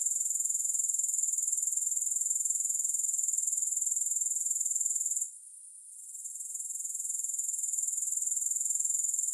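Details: Grasshoppers produce a sharp, hissing high trill of quick regular pulses, broken by a brief sudden stop past five seconds, then fading back up into the same even buzz, with no music.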